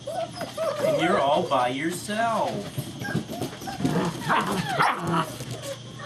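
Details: Frisky German Shepherd puppies playing together, Vom Barron's Pride litter, 2-5-2012, heard as a jumble of overlapping squeaky whines, yips and wavering cries, with a woman speaking softly over the play.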